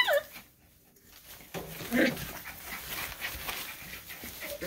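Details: Miniature Schnauzer puppies playing together give short, high yips and whimpers between bursts of scuffling.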